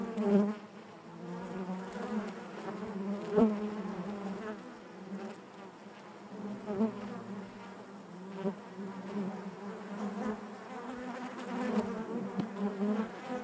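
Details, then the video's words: A colony of bees humming in their hive, a constant low buzz that wavers in loudness throughout, with a few soft clicks scattered across the recording. "bees therapy hive natural buzzing sound"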